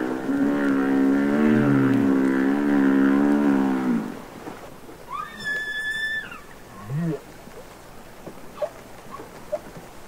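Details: Humpback whale singing underwater, from Capitol Records ST-620: a long droning moan rich in harmonics for four seconds, then a sharp rising whoop, a high upsweep and scattered squeaks fading into quiet sea hiss.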